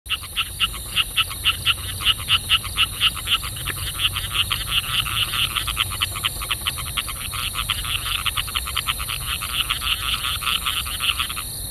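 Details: A group of Striped Rocket Frogs at Chelsea Street Environmental Reserve, Kippa-Ring, Redcliffe, Queensland, call together with rapid, sharp, clicking notes in quick overlapping series.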